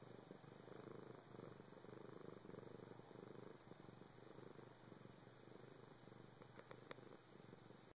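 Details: Steady, quiet purring from a four-year-old domestic cat: a fast, pulsing low hum lasting the whole stretch, with a few small clicks near the end.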